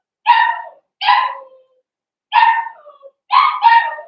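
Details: High, yappy barks from young blenheim Cavalier King Charles Spaniel puppies: two separate barks, a pause, then a bark trailing into a thin whine and a quick double bark at the end.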